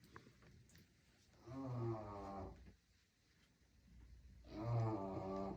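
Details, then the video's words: Bulldog puppy snoring like a grown man: two deep, rumbling, voiced snores about three seconds apart, each lasting roughly a second, with quiet breathing between them indoors. "Puppy Snoring 😴 Like a Grown man"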